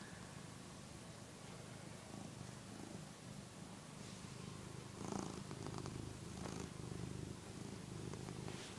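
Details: A one-year-old cat named Phillip purrs while nursing on a soft housecoat; a low rhythmic rumble grows slightly louder in the second half, with light fabric rustles and background hiss.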